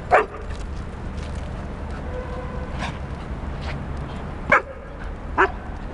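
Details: Nine-month-old female Akita Flora and eight-year-old Border Collie cross Fox, playing on the walk home from the park past Arsenal's Emirates Stadium; three short sharp yips spaced a few seconds apart over steady outdoor rumble.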